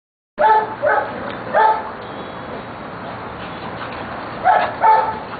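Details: Rescue Giant Schnauzers playing wildly with the zoomies; a cluster of sharp barks at the start, then a lull with background noise and two more barks near the end.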